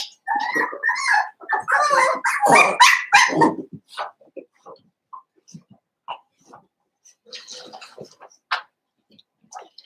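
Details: Blenheim Cavalier King Charles Spaniel puppies from a litter of five born at New Year, in an indoor puppy pen: a burst of high, harmonic yips and squeals for about four seconds, then scattered soft clicks and small noises.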